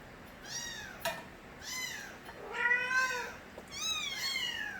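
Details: Young stray kittens of Nabi crying loudly; four drawn-out, bending meows follow each other closely, one lower and longer in the middle, with a sharp tap between the first two.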